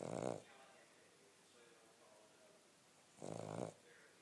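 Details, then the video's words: Sleeping Cavalier King Charles Spaniel giving two short rasping snores, one at the start and one near the end, separated by a quiet stretch of faint room sound. "Snoring King Charles"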